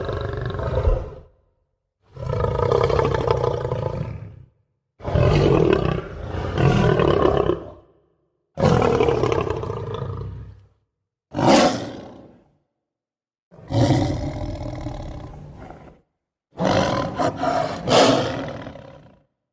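A lion gives a series of deep, rasping roars, each lasting a couple of seconds, separated by short pauses.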